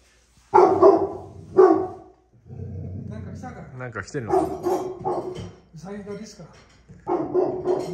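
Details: Great Pyrenees dogs in a Japanese backyard, barking perhaps at a wild animal close by: two strong barks, then a woman speaking softly, followed by further barks mixed with her voice.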